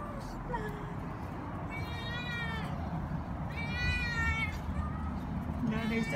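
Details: Domestic cats calling for food at the main door of a building: several drawn-out, wavering meows, one near two seconds and another near four, with a fainter meow at the end, over steady low urban background noise.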